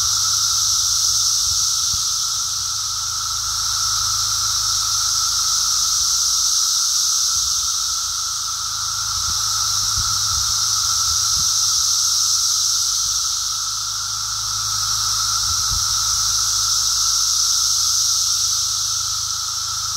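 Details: Brood X periodical cicadas massed in emergence, recorded on a walk on 2 June 2021. Their shrill hissing chorus swells and fades in slow waves about every five to six seconds, over a steady lower tone and occasional faint thumps.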